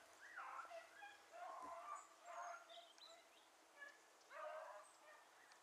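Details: Selectively bred beagles such as Ribo and Mira on a hare's trail after it crossed water; four bursts of excited yelping bays, each about half a second, separated by short pauses.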